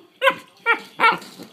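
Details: Two Collie puppy sisters giving three short, harmonic yelps in quick succession, each a brief rising-falling whine-bark, the last one strongest.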